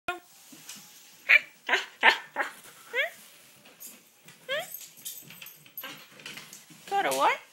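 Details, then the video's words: Koda, a female pet dog, fusses indoors while being coaxed to say a few things: a series of short, rising, whining yowls with bright harmonics, spaced irregularly, ending in a longer wavering howl-like cry, with human speech between them. "Koda fussing"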